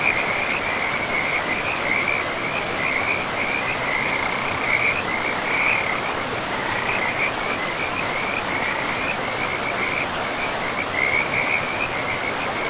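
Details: Frogs calling along a river in a pristine forest: a continuous, quick trilling croak chorus runs without pause over the constant broad hiss of the flowing water.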